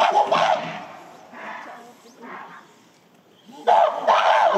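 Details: Captive gorillas of the Shabani group in December 2023 at breakfast: a female, Nene, chases silverback Shabani while screaming, joined by her son Kiyomasa. Harsh, broadband scream bursts open and close the clip, with a quieter stretch of rougher calls between.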